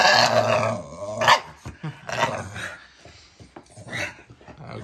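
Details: A female Staffordshire Bull Terrier makes drawn-out, grumbling growl-moans in uneven bursts while her owner talks to her.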